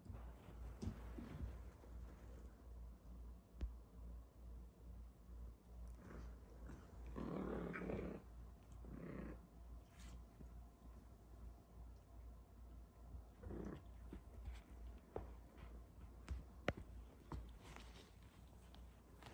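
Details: F1 Bengal cat, half wild with an Asian leopard cat father and Bengal mother, playing with her F2 silver Bengal kittens; a quiet, steady low purr with soft rhythmic pulsing throughout, plus brief rustling bursts midway and a few light clicks.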